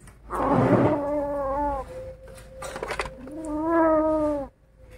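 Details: Kittens angered while feeding on a rat let out sustained, tonal growling wails, two long moaning bursts separated by a brief scuffling rustle, with Indonesian speech nearby.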